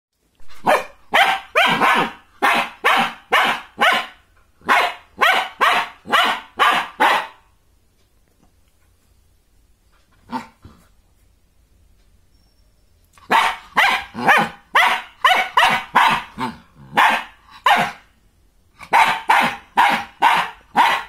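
A German Shepherd puppy barks in quick, sharp bursts, with a silent pause midway.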